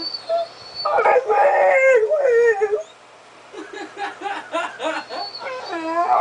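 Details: Diesel, a pet dog getting vocal, makes a talking-like run of howls and moans: a strong wavering howl, a short pause, then a string of quick yodelling yips and whines ending in a rising wail.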